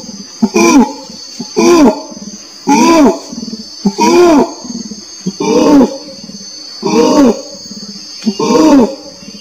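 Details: Orangutan giving six rich, harmonic, arching calls, each rising then falling in pitch, spaced about every one and a half seconds, over a steady high-pitched insect-like drone.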